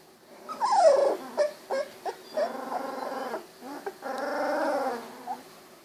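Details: Golden Retriever puppies at 16 days, eyes newly open, wiggling and walking; a falling whimper, several short squeaks, then two sustained nasal whines separated by small yips.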